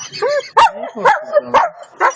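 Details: German Shepherd barking in short, sharp bursts, four barks spaced about half a second apart, with a brief whiny tone before the first.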